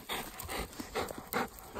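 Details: Ten-year-old Golden Retriever heading out to the field, panting in quick, breathy broadband huffs, about five bursts in under two seconds, over a faint steady background hiss.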